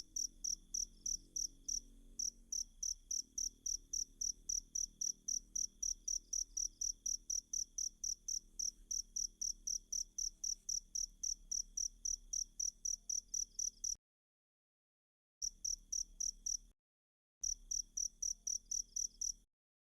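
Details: Insistent cricket chirping meant as tutor sound for captive oriental magpie-robins, evenly spaced high pulses about four each second for fourteen seconds, then two abrupt silent breaks between shorter bursts; soft low rumble underneath.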